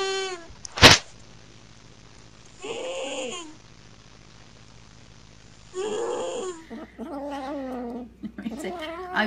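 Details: Domestic cat making strange noises: a sharp sneeze-like burst, then several short wavering meows and yowls separated by quiet stretches, with a steady low hum underneath.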